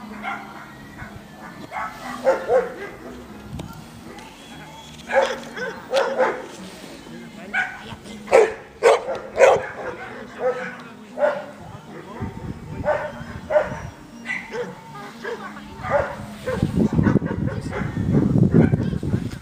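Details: Labrador Retriever named Amba barking during defence training at Freedog; loud sharp barks come in irregular bursts and clusters, mixed with human voices, with a low rumbling noise toward the end.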